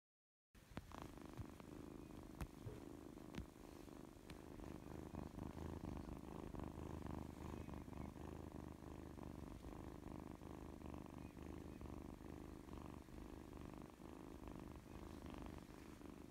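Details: Mikan, an orange Scottish Fold kitten, purring steadily and continuously after a short silent start, a low, even rumble lasting the whole stretch with a few faint clicks over it.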